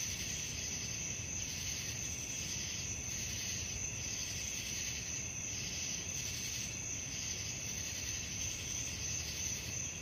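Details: Nocturnal crickets produce a constant high ringing trill with rhythmic swells close to three per second, accompanied by persistent low-frequency rumble.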